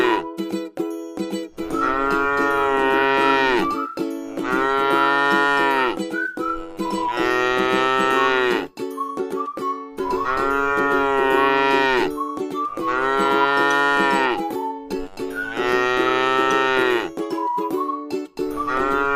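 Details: Around six long, resonant moos from a tame cow eating grass in a rice field, spaced a second or so apart and each tailing off lower, with light plucked music steady beneath.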